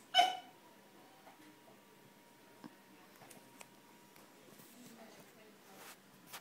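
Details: Indoors, Frenchie Russell confronts his mirror image over a blue ball, though he has an identical one. A single sharp, loud bark opens, followed by a quiet room with scattered faint ticks and clicks.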